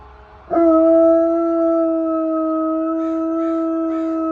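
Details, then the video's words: Domestic dog howling in response to sirens and fire trucks: one long, steady, even-pitched howl with strong overtones that begins abruptly and holds for nearly four seconds, with faint pulsing sounds near the end. "dog howling at sirens/fire trucks"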